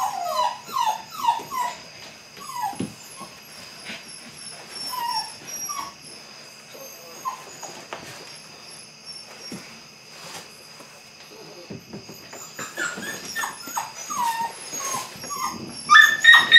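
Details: Belgian Malinois puppies at eight weeks starting bite work give scattered short whines and yips, clustered at the start and end with quieter gaps between, over a faint constant high tone.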